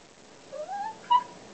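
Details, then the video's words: Pet dog vocalizing while 'telling' its owner about his day: a soft rising-and-falling whine drawn out over half a second, then a brief louder harmonic yelp, in a quiet room. "Dog talking about day at the office."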